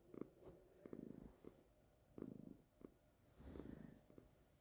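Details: Calico cat Baby gives a close, throaty purr in uneven rumbling bouts, broken by a few short clicks and snuffles. The room is otherwise quiet.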